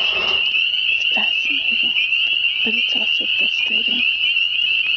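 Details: Spring peepers massed in spring, heard everywhere yet unseen: a steady piercing high chorus of peeps runs throughout while a person talks quietly over it.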